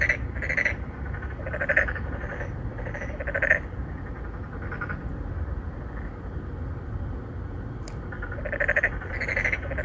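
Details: In a Songdo, Incheon apartment-complex pond, three or four endangered narrow-mouthed frogs call to attract females, recorded on a Galaxy Note 9 in 2019. Clustered buzzy croaks open and close the passage, with a quieter lull in between and steady low hum.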